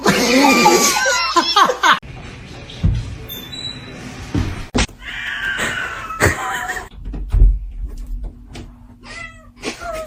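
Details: Kitten meowing: a loud, drawn-out, harmonic-rich meow fills the first two seconds, followed by choppy, edited snippets of shorter rising and falling mews, clicks, thumps and background noise.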